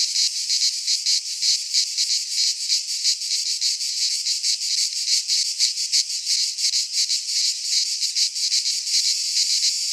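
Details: Cicadas singing together in a Greek pine forest in midsummer: a dense, shrill, high buzzing that pulses in rapid throbs, about three per second, continuous throughout, with no other sounds.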